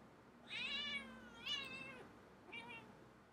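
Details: A pet cat described by its owner as crazy gives three drawn-out, harmonic-rich meows about a second apart, the middle one loudest, indoors with a quiet background.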